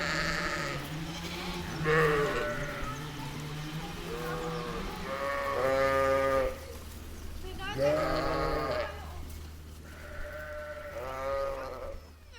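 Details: Sheep bleating in a meadow, ewe and lamb trading wavering, nasal calls about every two seconds, several long tremulous bleats and shorter higher ones, low steady hum underneath.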